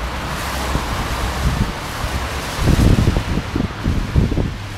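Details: Loud wind buffets the microphone in gusts, a constant roar with low thumps and no animal sound.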